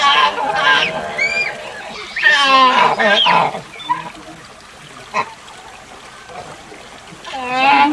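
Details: Proboscis monkey giving harsh, nasal, harmonic honks in three loud groups: one at the opening, one between two and three and a half seconds, and one at the end. Between them it is quiet, with a faint tap and low background rustle.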